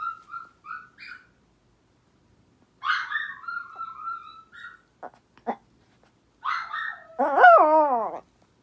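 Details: Pet dogs in a multi-dog household, an older sister dog answering her younger sister's cry with a howl: short high whines, then a wavering harmonic howl rising and falling near the end.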